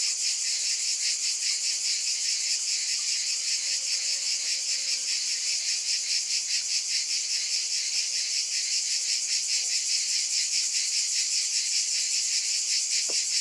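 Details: Cicadas buzzing in a dense, continuous high-pitched drone that pulses about two or three times a second, with faint low tonal lines briefly underneath.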